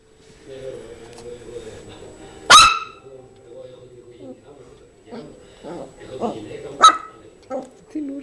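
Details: A Yorkshire terrier called Zizel plays with her new mouse toy and lets out two quick, shrill yaps roughly four seconds apart. Quiet human voices and small rustling noises fill the gaps between them.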